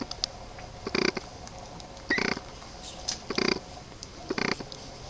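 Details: Boston Terrier puppies, 23 days old, giving short rough grunting growls, four separate bursts spaced about a second apart against a quiet background.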